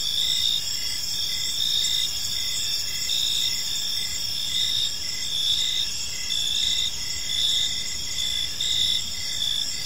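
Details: An evening park chorus of crickets, their shrill pulsed chirps running on without pause in a regular beat across several high layers, over a faint low background hum.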